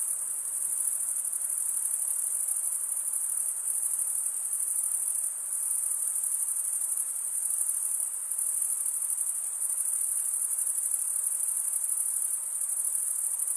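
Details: Crickets chirping by stridulation, rubbing one wing's toothed vein against the other: a dense, steady, very high-pitched shimmering trill that runs without pause, with only a slight dip near five seconds and no other sounds.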